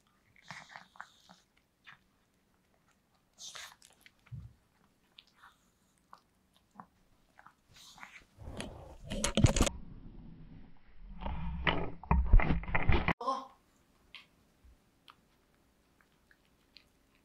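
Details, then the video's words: Pet dog Yulman eating cake indoors. Scattered soft clicks, then two loud stretches of crunchy, wet biting and chewing around the middle of the recording, followed by a few quieter smacks in a small room. "강아지 케이크 먹방 ASMR(리얼 사운드)"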